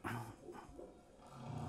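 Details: Male humpback whales singing at Madagascar, a breeding area, in a recording played back during a talk: deep, moaning tones rich in overtones, one rising into a brief higher swoop, with a steady low hiss.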